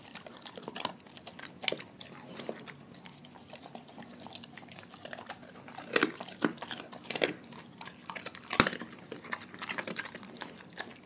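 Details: Raw-fed dogs crunching their meal: steady soft gnawing punctuated by sharp bone-like cracks, the loudest near the end, with moist clicking in between.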